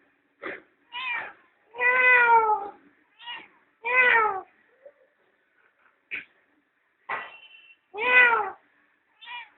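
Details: Domestic cat with her playful kittens enjoying the sun at home: several drawn-out, harmonic meows, each rising then falling, separated by short chirps and pauses of about a second, in a quiet setting.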